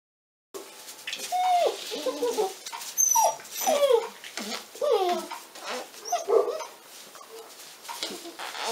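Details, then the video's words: Litter of 46-day-old Pyrenean Mountain Dog puppies at a breeding centre in the Cerdanya, Catalan Pyrenees, giving overlapping high whimpers and whines that rise and fall, several puppies calling at once with short pauses between bursts. "CADELLADA A6 - 46 DIES D'EDAT"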